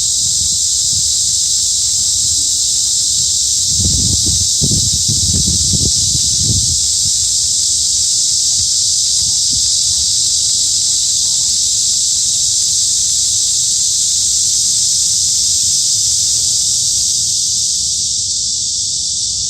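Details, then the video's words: Cicadas in a midsummer forest at Hanbat Arboretum in Daejeon, South Korea: a dense, unbroken high buzzing chorus holding steady throughout, with a few dull low thumps near the middle. "한여름 숲속 매미소리"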